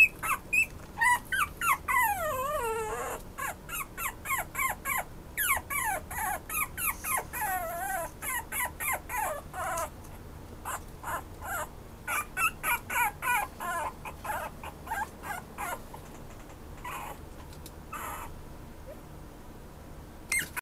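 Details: Pomeranian-Chihuahua mix dog whimpering steadily, a fast, uneven stream of thin high cries, some sliding sharply downward in pitch, with brief pauses between bursts.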